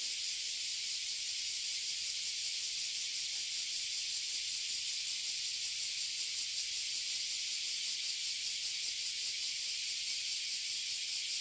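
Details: Annual chorus of oily and bear cicadas in a tree in Toyohashi City, Japan: an intense, continuous high-pitched hiss-like buzz with a fine, even throb, unchanging from start to end.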